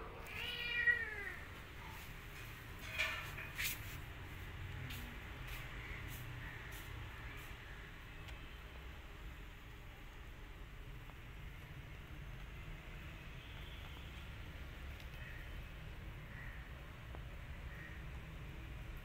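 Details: Cat meowing indoors as a mother cat confronts an orphan kitten she has sniffed: one rising-falling harmonic meow near the start, a fainter cry around three seconds, then quiet room noise with low hum.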